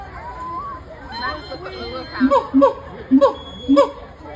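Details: At the Cincinnati Zoo, a gibbon high up, with a big throat, gives short, recorder-like hooting notes in a quick repeated series over the murmur of a watching crowd.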